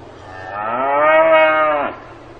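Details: Single cow moo recorded on a farm: a sustained, harmonic low call lasting over a second, gradually swelling, holding steady, then sliding down sharply as it ends, over a quiet hum.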